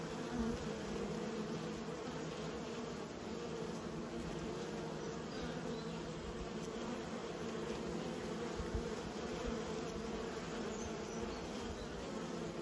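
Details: Kept honey bees hum together in an unbroken, even drone of many beating wings, holding steady throughout without pauses.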